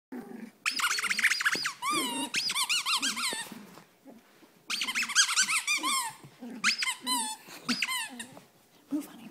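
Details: A Cavalier King Charles Spaniel, female, indoors, gives bursts of high, squeaky, whining yelps with sliding pitch, clustered in two main runs separated by a short pause, with lower murmurs between.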